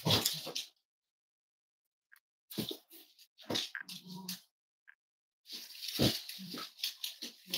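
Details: Snuggling Cavalier King Charles Spaniel puppies indoors on a warm Friday morning, kept as future emotional support animals. Brief scattered bursts include a low, tonal whimper in the middle, set among rustling, followed by a longer stretch of mixed soft noises.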